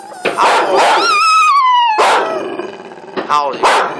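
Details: Pet dog howling loudly indoors while people urge it on; a clear drawn-out howl gliding downward over about a second, flanked by loud overlapping human voices shouting and imitating howls.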